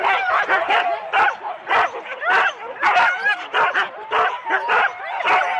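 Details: Rendlesham, January 2016: a four-dog Husky team at the sled start, taped on analogue cassette, gives a rapid chorus of sharp high barks and yelps in quick bursts several times per second, excited and overlapping.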